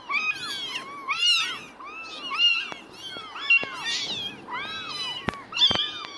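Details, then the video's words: Tiny kittens within two weeks of birth mewing repeatedly, each cry a thin downward-bending squeak, roughly one per second, several overlapping, with a couple of sharp knocks near the end. "Meowing & Opening Eyes"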